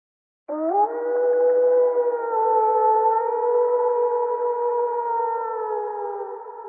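A wolf gives one long, smooth howl that swoops up quickly, then holds a steady, mournful tone.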